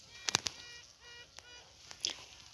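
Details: Honey bee queen in a requeening hive with several queen cells, the first emerged queen calling to assert dominance over other queens; short harmonic toots near the middle, answered faintly, among sharp taps and clicks over a steady hive hum.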